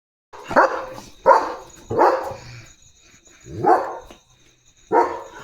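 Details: German Shepherd dog on night guard duty in darkness, alert and protecting its area: five loud separate barks spaced irregularly about a second apart, with a faint steady high hum behind.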